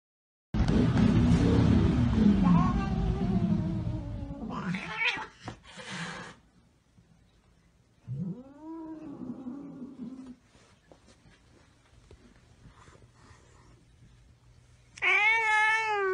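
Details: Domestic cat in a funny-cat compilation: a loud rough scuffle first, then after a pause a single drawn-out meow that rises and falls, and near the end a loud, wavering, strongly tonal meow.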